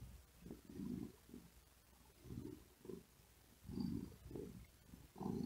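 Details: Cat dozing on a wooden desk in hot weather, giving a softer, low purr in short rumbling bursts separated by quiet gaps as it breathes heavily, growing stronger toward the end.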